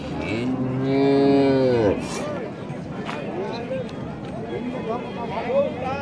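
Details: Dairy cow's drawn-out moo lasting about two seconds, swelling then dropping in pitch at the close. Murmuring voices and general bustle continue faintly afterwards.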